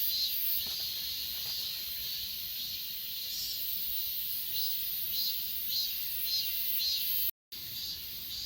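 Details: Crickets and other grass insects calling on Achasan mountain, captured with an S20 Ultra phone: a steady high-pitched trilling drone with gentle rhythmic swells. There is a brief gap of silence near the end.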